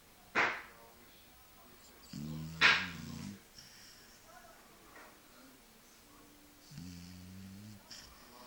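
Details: Sleeping Shar Pei dog snoring like a human: two low, droning, harmonic snores about four seconds apart, each lasting about a second, with a few sharp clicking noises in between.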